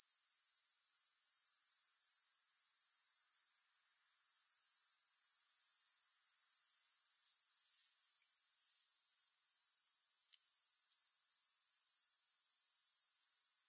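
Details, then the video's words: Shrill grasshopper trill, a relaxing recording free of music, sustained at a single high pitch with rapid fine pulsing. One short silence early on, then the even drone continues uninterrupted. "Grass Hopper Sounds"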